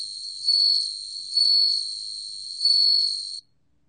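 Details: Bell cricket singing in a 2020 National Institute of Biological Resources recording, a clear, bell-like high tone held continuously with three louder swells spaced about one to one and a half seconds apart, ending abruptly.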